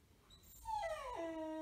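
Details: Six-month-old beagle puppy wearing a cone after his sterilisation surgery gives a short whine that rises, then drops sharply and settles into a steady, lower, harmonic moan.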